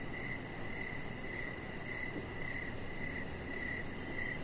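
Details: Crickets chirping outdoors in the evening beside a deck: a steady, high, shrill trill pulsing in short regular bursts about twice a second, over a constant low background hum.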